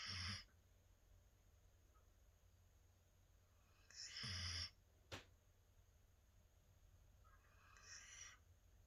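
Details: Snoring from Merry, a large female standard Labradoodle, during a daytime nap: harsh airy bursts recur every few seconds, the last one softer and thinner, with a single sharp click between them in a quiet indoor room.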